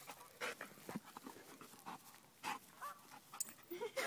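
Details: A bullmastiff crossed with a bull terrier pants after a one-mile run on a hot day, giving quick airy huffs in uneven bursts, some louder than others.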